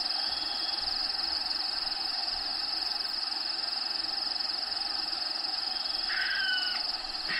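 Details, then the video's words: Constant shrill pulsing of crickets inside Diego the bearded dragon's vivarium, with natural habitat sounds in the background. Near the end a brief, bright, falling bird-like call cuts across the insect drone. "RELAXING SOUNDS CRICKETS"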